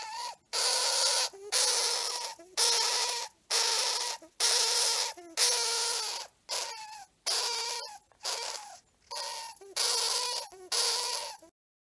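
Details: Male pet hamster screaming hard: about a dozen harsh, noisy bursts in twelve seconds, each roughly half a second long with short gaps, loud and rasping throughout, ending in silence.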